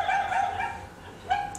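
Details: Young stray puppies in southern Italy, not socialized with people, give high, tonal yelping barks in two short bursts as people approach.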